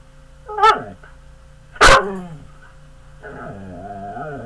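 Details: Domestic dog, described as big and mean, letting out two sharp barks about a second apart, followed by a lower, wavering growl-whine rising slowly in a quiet room.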